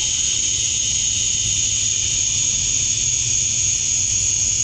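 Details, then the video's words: Male cicadas singing to attract females at dusk on a summer night in Georgia, USA: a dense, unbroken high-pitched buzzing drone with a second band lower down, steady throughout, over a faint low hum. "Cicadas at Dusk, Summer Night"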